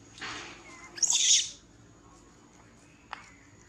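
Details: Monkey screaming loudly in pain while being bitten and unable to escape: a harsh, noisy high-pitched shriek lasting about half a second after a softer squeal, then a brief sharp click near the end.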